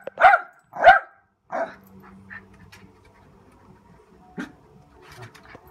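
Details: A Lakeland Terrier barking: two loud sharp barks close together, a third shorter bark, then quieter whines and faint scattered sounds.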